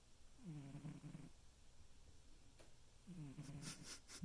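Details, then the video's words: A sleeping domestic cat snoring loudly. Two low, rasping snore breaths about two and a half seconds apart, each lasting under a second, with faint clicks and rustling near the end. "My cat snores."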